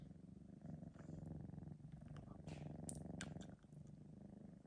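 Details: Three-month-old male Sphynx cat purring steadily after a nap, filmed indoors on a phone; a continuous low, rapidly pulsing rumble rising and falling with each breath, with a few light clicks and rustles.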